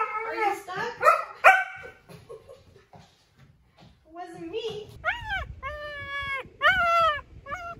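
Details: German Shepherd's chatty vocal sounds: a burst of rough grumbling yips, a quiet spell, then several clear high whines held level and dropping at the ends, with some speech and a low background hum.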